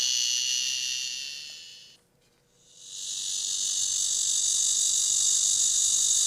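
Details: Blackish cicada (Cryptotympana atrata, malmaemi) in Korean summer, a species common in cities, active when temperatures exceed 27°C and heard day and night: loud, harsh, continuous buzzing song that stops briefly and swells back.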